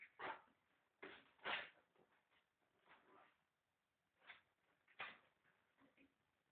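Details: Miniature bull terrier puppies born 1 June 2011 at a kennel in Italy give short, sharp yelping cries, several scattered bursts about a second apart with quieter whimpers between.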